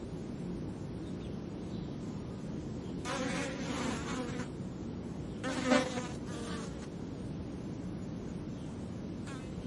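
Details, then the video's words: Flies buzzing periodically in short bursts of droning, harmonic-rich hum, swelling around the middle and again later, with quiet low background rumble between passes. "Flies buzzing, periodically"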